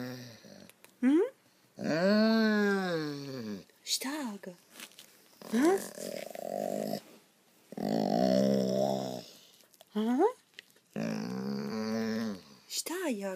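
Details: A rescued German Shorthaired Pointer that loves to talk 'talks' in drawn-out, wavering moans and yowls as a person speaks to it.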